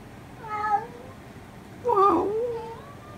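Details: Talkative domestic cat with a distinctive voice giving two drawn-out meows. The first is short and the second longer with a wavering fall, with a quiet room between them.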